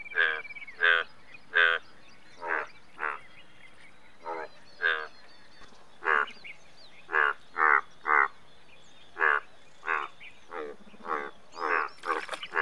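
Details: Indian bullfrog croaking: short, nasal, harmonic-rich croaks, mostly single or paired, repeated irregularly about every half second to a second, with fainter overlapping calls suggesting more than one frog, over a quiet low background hum.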